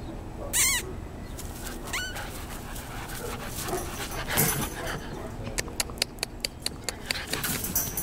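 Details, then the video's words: Play session of 14-week-old German Shorthaired Pointer pups, Misty and Skipper, from the Squirrel x Freya litter: two high, bending yelps early on, a soft scuffle, then a quick series of sharp tapping clicks. "GSP pups at play"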